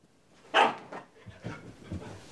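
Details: Very young Northern Inuit puppy named Deimos in a tantrum, refusing to settle: one loud sharp yelping bark, then a few fainter grunts and huffs trailing off.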